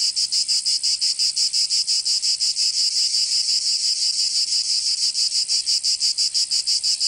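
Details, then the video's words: Summer chorus of cicadas in Provence, southern France, a loud shrill buzz throbbing in quick regular pulses, close to three per second, unbroken across the whole stretch. "Canto Cigarra 🦗 [ Escuchar les cigarras en verano 10 H]"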